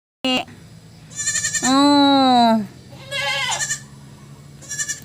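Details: A goat at feeding time gives one loud, drawn-out, slightly falling bleat lasting about a second. Shorter, fainter bleats come before and after it against a quiet background.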